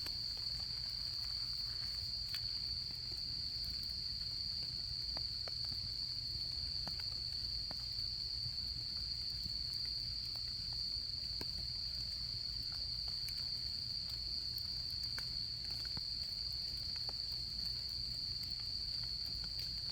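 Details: Insects of autumn heard at a campfire: one continuous shrill ringing trill carries through the whole stretch without pause, while the fire's irregular crackles and pops and a soft low background rumble sit underneath.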